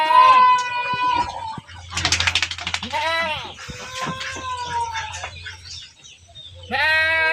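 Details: Herded goats give several shaky, nasal bleats, some drawn out and falling, mixed with background voices and chirps.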